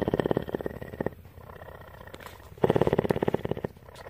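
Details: A female cougar (mountain lion) at a rescue sanctuary in Bridgeport, Texas, purrs in two rumbling bursts of fast, even pulses separated by a quiet pause.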